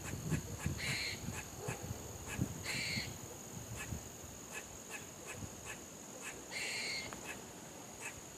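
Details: Squirrel barking: three short, harsh, bright calls with a ringing overtone, about a third of a second each, spaced irregularly over eight seconds, with soft clicking and rustling and a steady high hiss behind.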